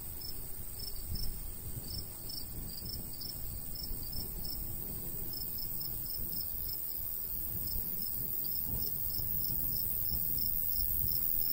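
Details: Countryside crickets in summer near a golden wheat field, sending out quick high chirps in uneven runs with short pauses, beneath a low wash of light breeze that grows slightly louder.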